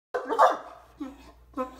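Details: A Great Dane lying in bed and refusing to get up, complaining: a moaning grumble with a groaning tone, then two shorter, lower grunts a half second apart, indoors.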